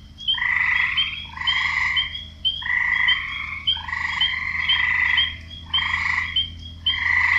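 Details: Male frogs croaking to draw females, several voices overlapping in rough, pulsed bursts about a second long, a buzzy lower band under bright, higher chirps, with brief gaps between bouts.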